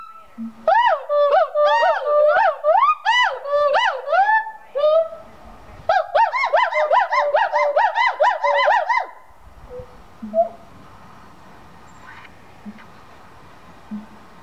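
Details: Gibbons at a gibbon conservation center in Santa Clarita, California, sing loud, rapid whooping notes that swoop up and down in pitch, then fall quiet.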